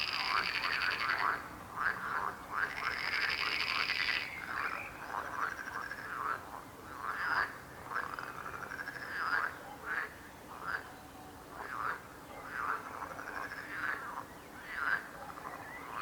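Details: Frog chorus with loud rattling trills in the first seconds, then a long run of separate bursting croaks, each short and upward-bending, spaced roughly a second apart against a quieter background hum.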